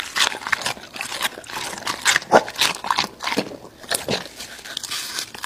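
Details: Raw meat being eaten by an American Bully dog: quick, uneven crunches and bites, about four per second, with a few louder snaps.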